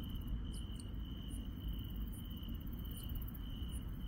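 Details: Night insects in the countryside give a continuous high-pitched ringing trill, with brief, very high pulsed chirps every half second or so and a steady low background rumble.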